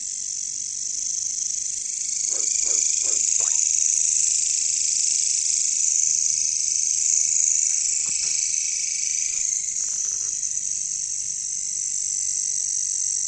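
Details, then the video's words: Katydids (bush crickets) in a jungle: a dense, steady high hissing shrill that never breaks, with short bursts of low croaking pulses, three or four in quick series, near the start and around eight to ten seconds. "bunyi caricangkas katydids bush crickets"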